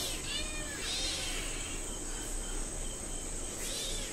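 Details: Hungry domestic cat and kittens waiting for food: faint, arched meows at about one and three and a half seconds over a steady high whine, while a woman softly calls the cats to come.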